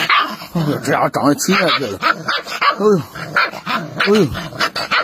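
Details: Aggressive, angry Rottweiler puppy barking: a quick run of short, sharp, harmonic yapping barks, roughly two a second, while a person keeps exclaiming loudly in Chinese close by.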